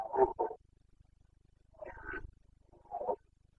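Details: Carpathian stag in the forests of Bucovina in the autumn rut of 2022, giving three short, rough, grunting roars spaced over nearly four seconds, the middle one harsher and higher, with a soft rhythmic ticking behind.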